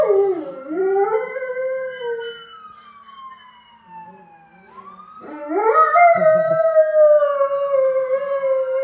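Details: Howling pet dog Dio harmonizing with an ambulance siren. A dipping, wavering howl fills the first two seconds. After a lull dominated by the gliding siren, a long, steady, sustained howl rises from about five seconds to the end.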